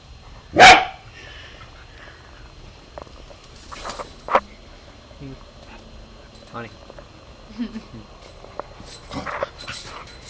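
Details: A 3-year-old Corgi, discovering a slinky, gives one sharp, loud bark, followed by quieter household sounds and a person's voice.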